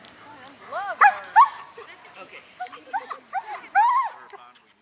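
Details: Three-month-old Weimaraner puppy giving a few short arched whining yelps, rising then falling, in quick bursts about half a second apart, with a steady high electronic tone and faint voices underneath.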